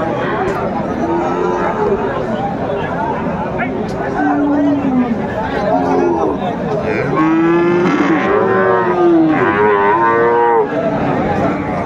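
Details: Friesian and crossbred bull calves at Raniganj market in Dinajpur, 23 December 2024; several bleating moos, some short and some stretched, sound over constant crowd chatter and speech.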